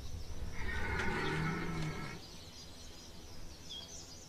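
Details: Red deer stag bellowing during the September rut at Chambord, France, in 2021: a hoarse, drawn-out roar of about one and a half seconds, fairly distant, with faint small bird calls afterwards.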